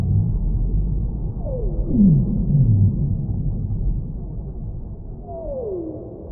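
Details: Whale song with long, smoothly descending moaning notes, one near the start and another near the end, plus shorter stepped low tones between them, over a steady deep underwater rumble.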